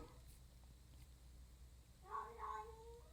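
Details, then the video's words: House cat meowing from outside the room, heard in a quiet indoor space; after near silence, one long, wavering meow rises and then holds steady near the end. "Kitty, do you want to come here or what? Are you just going to stand out there and meow for whatever reason?"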